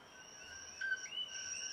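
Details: A common coquí in a Hawaiian forest gives its two-note co-qui: a short lower note, then a higher upslurred whistle.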